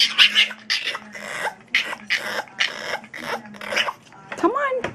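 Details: A male French Bulldog resisting bedtime lets out hoarse, grumbling barks and groans in short bursts, ending with a wavering, rising whine of protest, while a person coaxes him into bed.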